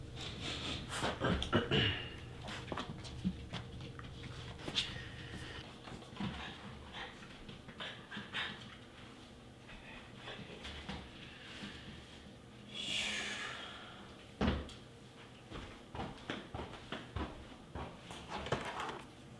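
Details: Mameshiba dog panting in quick, uneven breathy puffs mixed with soft clicks and rustling, with a louder hissing burst around the thirteen-second mark.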